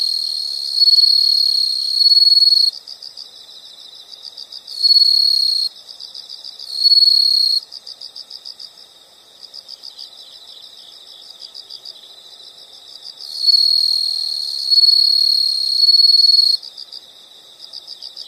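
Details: High, rapidly pulsed insect trills come in uneven bursts, some lasting nearly three seconds and others under one, over a steady quieter background chorus of similar high pulsing insects.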